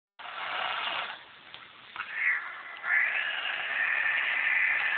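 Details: Domestic female cat turning angry whenever visitors arrive at home: a breathy, hiss-like rasp for about a second, a quieter stretch, then a long harsh wavering yowl that holds steady to the end.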